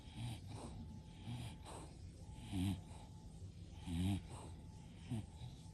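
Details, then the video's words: English Bulldog asleep in a house shared with five bulldogs: soft, irregular snuffling snores, short low nasal rumbles with a slight wheezy edge recurring every second or so, quiet and close. "Those Famous Bulldog Snores"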